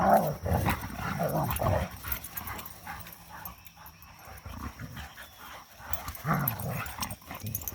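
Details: Three dogs tussling in play after three days of rain; a burst of rumbling growls and snarls opens, a quieter lull follows, then growling resumes near the end, over a faint steady high hum.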